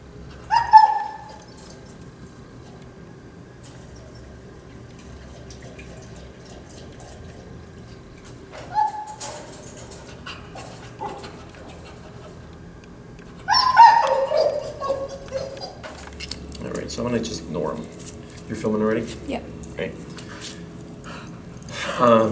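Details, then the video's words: Anxious dog shut in a kennel, overstimulated, drooling and biting the bars during prong-collar work; short, high, thin whines come in separate bursts, with scuffling and rattling in between and faint dripping. "Stopping Kennel Anxiety With Prong Collar, Whining/Salivation/Biting Kennel Bars"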